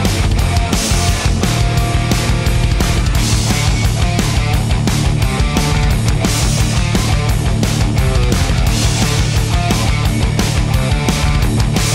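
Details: Loud, driving heavy rock music with pounding drums and distorted guitars fills the whole stretch, with no barking or other animal sound audible.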